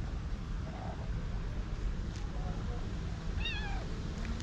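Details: A hungry white tabby stray cat, female, meows loudly beside people after missing them: one wavering, harmonic-rich meow late in the clip that rises then falls, over steady low background hum and soft Turkish speech.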